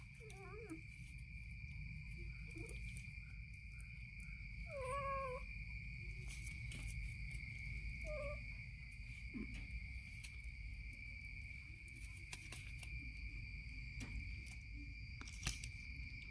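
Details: Kitten playfully biting its mother's stomach gives several short, rising-and-falling mews spread across the recording, set against a steady high electrical whine and low rumbling background noise.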